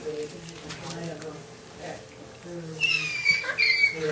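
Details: Six-week-old longhaired dachshund puppies from a litter born 2 January 2012 (Milloup, Stroller, Halla and Oki Doki) at play. High, thin whining squeaks with a slight waver arrive in short bursts near the end, after soft low background sounds.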